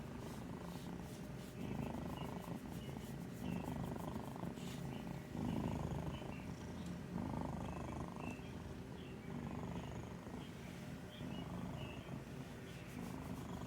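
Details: Domestic cat snoring while asleep and dreaming, its breathing likened to an old man's snore: low rasping breaths in long phases of about a second or more, alternating inhale and exhale, with faint high ticks in the background.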